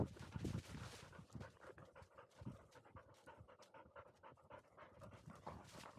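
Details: Fast, rhythmic panting from a 439-day-old field-type Labrador Retriever, one of two named Pin and Dori, after dashing up a slope outdoors; quick breathy puffs at about two per second, with rustling in the background.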